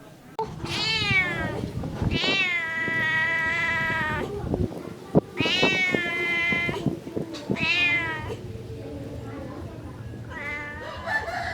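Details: Domestic cat giving a series of long, loud meows, some stretched over two seconds and rising then falling, with low rumbling background noise between calls.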